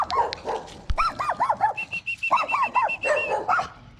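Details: Poodle litter scene as a dog gives birth to seven puppies of identical colour; a quick run of high, arched squeaky whines, some in fast sets of four, and a steady thin tone in the middle.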